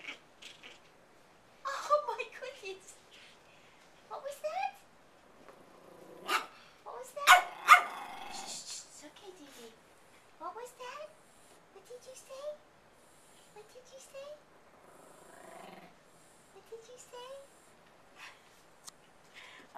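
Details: Indya, a female Pomeranian puppy, spinning and chasing a crocheted toy indoors at a relative's house; short high rising yips and a few gruff little barks scattered throughout, mixed with a woman talking to her.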